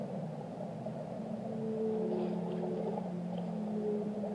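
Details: Short passage of whale song: layered low humming tones begin after a second and hold steadily, with a fainter high note near the end, set against dense ocean noise.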